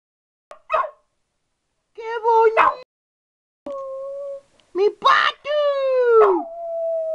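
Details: Pet dog chatting with its owner in vocal turns; short yelping bursts followed by drawn-out, steady, howl-like tones with rich overtones, some rising then falling at the end, separated by brief silences.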